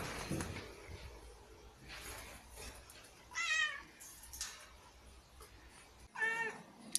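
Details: A domestic cat meows twice, about three seconds apart, each call a short, tonal, slightly rising whine over a steady background hiss, with a soft thump at the start.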